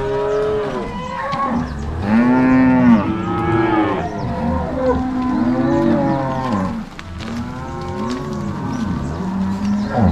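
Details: Crossbred Angus-Nelore cows driven by three cowboys and six dogs from corral to pasture on a farm in Ortigueira, Paraná, Brazil, 16 March 2022; several overlapping low, drawn-out moos with wavering pitch, one after another throughout.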